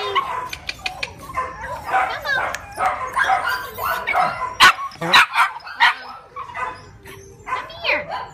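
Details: Rat Terrier letting out a quick, irregular string of bright yips and short barks, close to two per second, with a few whimpering slides and a human voice faintly mixed in.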